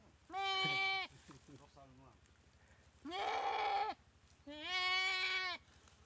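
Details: Goat being eaten alive by a Komodo dragon after a paralysing bite, dry river at Komodo Village; three strained, quavering bleats in quick succession, with short broken cries after the first.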